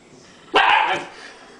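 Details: A Chinook dog lying lazily on the floor gives a single short, harsh bark, strong through the middle pitches, then quiet room tone.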